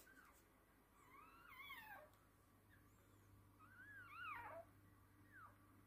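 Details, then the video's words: During a Toy Poodle's whelping of three girl puppies, two drawn-out, rising-then-falling shrill squeals a few seconds apart ring against a hissy, humming indoor background. "Toy Poodle giving birth 3 puppies"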